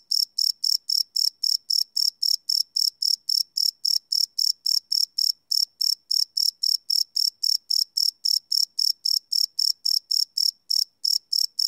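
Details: Crickets chirping at night, recorded live on a Sony PCM D100 field recorder: a steady train of bright, high pulses, roughly four per second, with nothing else audible.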